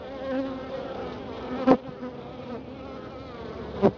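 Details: Colony of honey bees in Florida, looked in on after a spell of colder weather: an even, low buzzing hum broken by two sharp knocks about two seconds apart.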